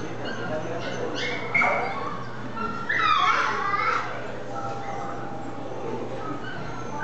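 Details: Maltipoo dog giving a few thin, whining whimpers, with one rising, tonal whine in the middle, over a steady noisy background hum.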